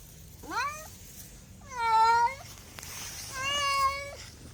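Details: Domestic cat meows three times, each a clear, tonal mew, the first short and rising, the second longer and level, the third drawn out and slightly falling, spaced about a second and a half apart in a quiet room.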